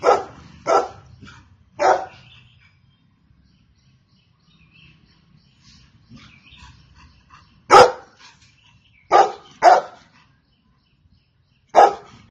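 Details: Golden Retriever barking in two bouts: three barks, a quiet stretch of several seconds with faint background noise, then four more loud barks.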